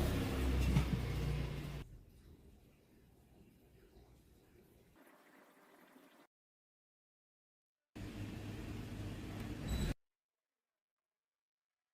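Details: Low rumbling noise and faint thuds fade to near silence, followed after a gap by a short burst of muffled low-pitched noise, with no animal voice present.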